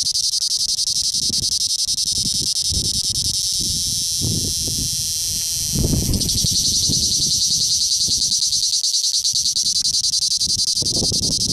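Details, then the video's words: A male cicada in southern Italy, recorded at close range, sings a loud, continuous, high-pitched buzzing drone with a rapid pulsing texture. "Cicala maschio che stride - Male Balm Cricket creaking"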